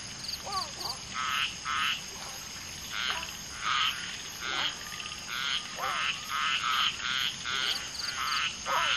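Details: Common tree frogs (Polypedates leucomystax) mating: a female laying eggs with two males fertilising them. Rasping pulsed croaks come in irregular bursts throughout, mixed with short sliding chirps from other frogs calling nearby.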